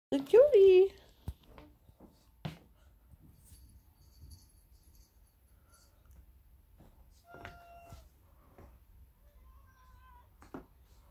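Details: White Turkish Van cat rolling around indoors on New Year's Day; one loud, short wavering meow opens the moment, followed by near silence with faint room noise, scattered taps and a few quiet voices.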